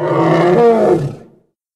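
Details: Single loud, rasping roar from a hippopotamus of the Congo, rich in layered tones, sustained for about a second before fading away.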